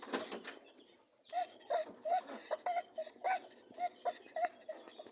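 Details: Rabbits mating: after a rustling start, a steady run of short honking grunts, about two per second, each clipped and slightly tonal, with soft scuffling between.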